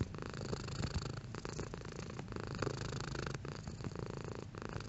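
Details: A cat purrs steadily, with a deep vibrating rumble and light breathy pulses recurring in a regular in-and-out rhythm, moderately loud and unbroken.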